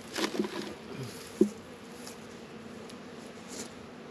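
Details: Honey bees working at hives in an apiary in northern Kentucky on a 72-degree February day; a low, steady buzzing hum with a louder burst of buzzing near the start and a brief tap in the middle.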